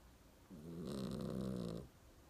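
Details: Mong-i the dog asleep and snoring: a single drawn-out, buzzy, low nasal snore lasting over a second, steady in pitch, then fading back to quiet indoor hiss.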